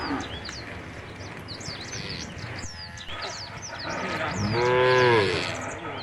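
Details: Herd of tame cows walking toward the field at the forest's edge; a single drawn-out moo swells near the end after a stretch of chirping birds and rustling noise.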